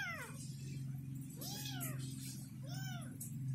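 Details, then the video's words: A confused kitten calling for its mother: three separate arched meows spaced about a second apart, over a constant low droning hum. "Anak kucing lucu sedang bingung mencari induk nya"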